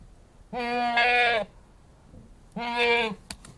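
An Anglo-Nubian goat gives two loud, nasal bleats, each held steady for about a second.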